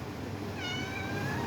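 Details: Adopted cat talking indoors: one thin, high, slightly falling meow, fairly faint, over a low hum of room noise.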